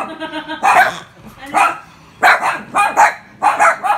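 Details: Poodles scared of a pig let out loud, bright barks in pairs and triplets after a short whine-like tone, each yap sharp and rough.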